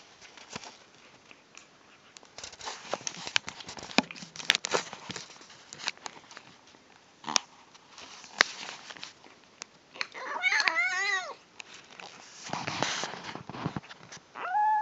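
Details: Female kitten making odd noises while eating indoors: steady wet chewing and crunching clicks, then a wavering, warbling harmonic vocal sound lasting about a second, with a short rising squeak near the end.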